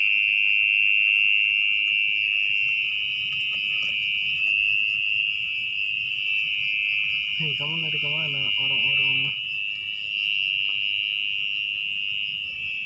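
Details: A mole cricket, locally called orong-orong, sings from its burrow in muddy ground at night during digging. A sustained piercing trill continues throughout. A brief human voice breaks in around the middle.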